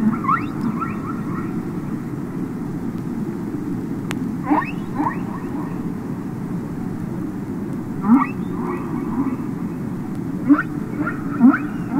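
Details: Humpback whale song recorded underwater, from the Capitol Records ST-620 album: scattered rising chirps and short upswept whoops in loose clusters, several groups spaced a few seconds apart, over a steady low rumbling hiss of the sea.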